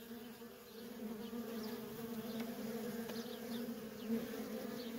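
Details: Continuous buzzing from worker honey bees streaming in and out of a feral colony, a dense low hum that swells slightly after the first second, with faint passing flight whines above it.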